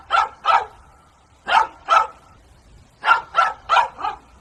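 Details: Barking dog in pairs and then a run of four, each bark short and fairly high, over a faint low background hum.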